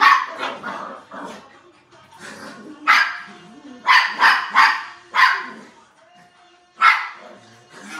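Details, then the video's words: Poodle at play barking excitedly: irregular runs of sharp yips, several in quick succession around the middle, mixed with quieter whines and grunts, then a final lone bark. "Poodle play"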